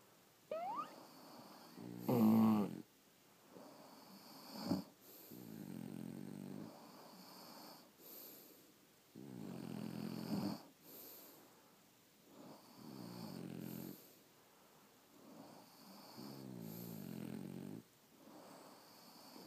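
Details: French Bulldogs sleeping indoors at home, several dogs: soft, rasping snores come in uneven bursts a few seconds apart, with a brief thin whistle near the start and quiet breathing between.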